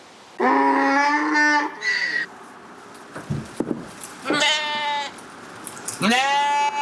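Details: Corriedale sheep on a Canadian farm, bleating in loud harmonic calls: a long wavering bleat, a pause with rustling and knocks, then two more quavering bleats, one rising sharply at its start.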